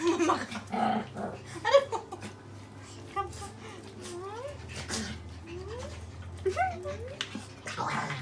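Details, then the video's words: A Pomeranian and a Poodle indoors, wanting their owners' hugs: thin high whines that swoop up and down, coming in several separate bursts, over a steady low electrical hum with soft human speech in the background. "When Pomeranian and Poodle wants our hugs"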